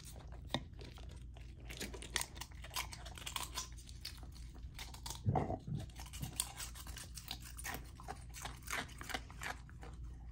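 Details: A golden retriever puppy named Lilo chewing her raw dinner of chicken drumstick, thigh and sockeye salmon; bursts of sharp crunching and gnawing, a louder heavy bite near the middle, then irregular slurping chews over a low background hum.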